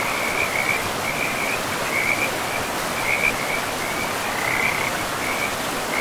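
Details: Frogs along a river in a pristine forest give a steady chorus of high, rapidly pulsed trills that swell and fade in short bursts, set against constant rushing water.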